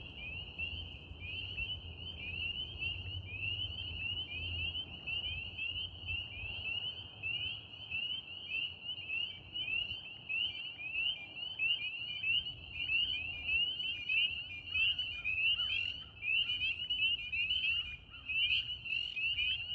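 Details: Spring peepers calling with wood frogs on a warm spring evening, April 3, 2026, in Central New York State: a dense chorus of high, piping peeps, overlapping and repeated rapidly throughout, with a soft low rumble underneath.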